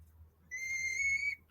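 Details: A male guinea pig (Cavia porcellus), always the least comfortable with handling, gives a single sustained, high whistling squeal of fear and terror while being held.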